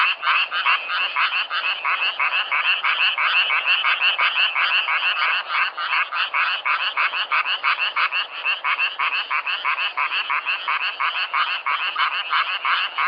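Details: Self-recorded frogs in nature: loud, steady chorus of clipped, raspy croaks pulsing about three per second without pause, many callers blending into one throbbing, nasal drone.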